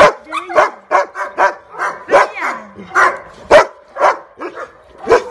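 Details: Female Rottweiler barking in quick bursts, about a dozen sharp, harsh barks in five seconds at uneven spacing, with a few sliding whine-like tones between them.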